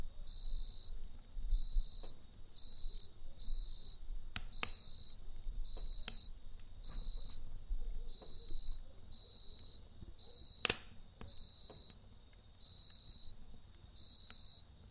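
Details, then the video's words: Cricket at night beside a campfire: steady high, even chirp bursts about half a second long, repeated almost every second with brief gaps, while wood crackles and sharp pops from the fire break through over a low rumble. "Kamp Ateşi ve Cırcır Böceği Eşliğinde Dinlendirici Gece Sesi"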